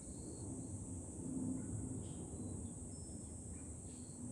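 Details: July cicada chorus on a high lookout above Fukuoka city, Japan, forming a continuous piercing hiss high overhead while dense low wind noise rumbles underneath and faint brief tones drift in and out.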